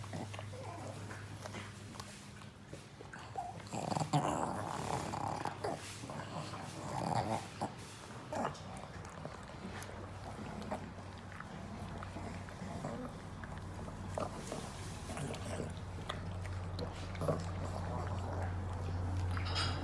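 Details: A pug eating a treat indoors, making low throaty growling and snorting noises in short bursts, loudest in the first half, over a steady low hum, with chewing and mouth sounds.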